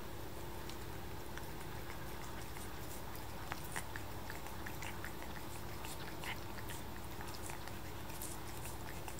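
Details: A 7-month-old kitten licking paste indoors: soft, irregular wet clicks and smacks, roughly seventy per minute, over a steady low hum, with no vocal calls.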